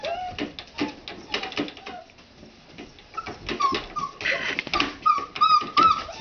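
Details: Waking red Standard Poodle puppies of a 2009 litter in the morning: scattered soft whimpers at first, then clearer high thin whines repeated about every half second, among rustling and scratching.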